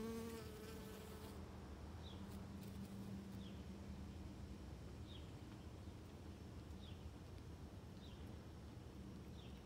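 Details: Worker honey bee at close range, hard at work on Rose of Sharon flowers: a low droning wing hum that fades after a few seconds, with faint high chirps repeating roughly every one and a half seconds in the background.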